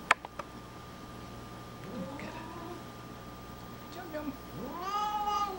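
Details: Snoopy, a pet cat, complaining during his nightly dose of hairball medicine, mixing grumbles with chewing; a low rising moan near two seconds, then a long drawn, rising-falling meow with rich harmonics at the end, indoors.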